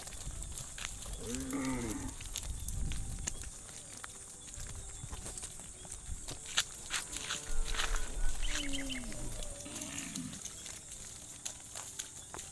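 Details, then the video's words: Cattle driven across a muddy rice field to their pen: a short bellow near the start, then quieter intermittent lows and scattered knocks and rustles through the rest. "Funny Cow Sounds"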